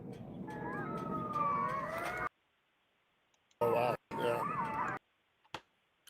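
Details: Coyotes (Canis latrans) call from a distance near a house, overlapping wavering howls and yips, then a second short burst.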